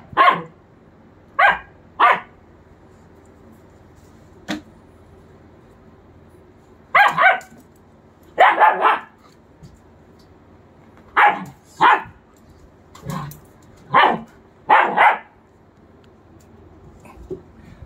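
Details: German Shepherd puppy aged 45 days giving sharp, high yapping barks in pairs and small groups separated by quiet gaps of a second or more, a faint click midway, otherwise quiet indoor background.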